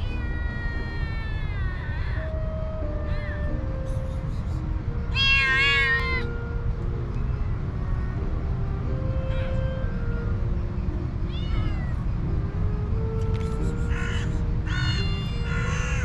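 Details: Hungry cats and kittens gathered around a person, meowing for food: several rising-falling harmonic meows, one loud burst of overlapping cries midway, over soft sustained background music and a steady low rumble.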